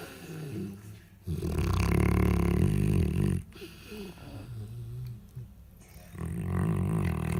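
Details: Alabai nursing female asleep beside her puppies born six days earlier, snoring after a big meal: a long rumbling low snore, then quieter wheezy breathing before another rasping snore begins.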